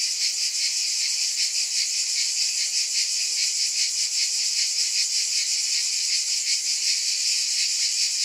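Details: Steady cicada buzzing, a high, sizzling wall of sound that throbs gently a couple of times per second and never pauses, with nothing else audible.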